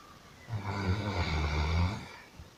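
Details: Snoring of a sleeping dog: a single drawn-out, low, buzzing snore lasting about a second and a half, rich in tonal overtones, with a faint breath after it.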